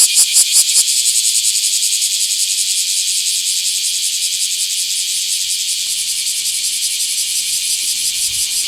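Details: Bear cicada recorded 24 July 2026 in a small park, its shrill rasping song throbbing in rhythmic pulses just under three a second; a few sharper, stronger strokes open the sequence before it settles into an even drone.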